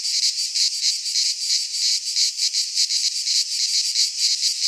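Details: Cicadas of a Greek pine forest singing in midsummer: shrill, hissing chorus holding steady, with faint rhythmic swells across a few seconds and no other sounds.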